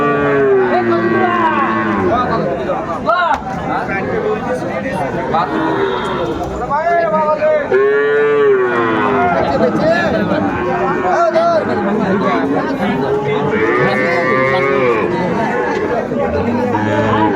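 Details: Busy cattle market in Comilla, Bangladesh, on 6 January 2025, crowded with small bull calves. Several drawn-out moos rise and fall among constant haggling chatter from buyers and sellers. A sharp knock sounds near the start.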